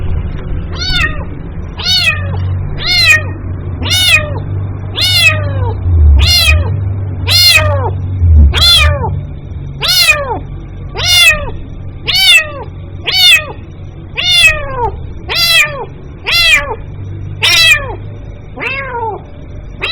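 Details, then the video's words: Repeated calls of a kitten seeking its mother: close to eighteen bright, downward-sweeping meows in steady succession, about one each second, with a low droning noise beneath. "SUARA ANAK KUCING MEMANGGIL INDUKNYA"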